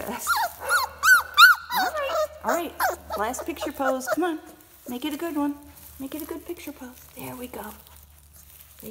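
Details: A litter of four-week-old kennel puppies cries in bursts of high, bending whines and yelps that fade to softer whimpers, over a faint low hum.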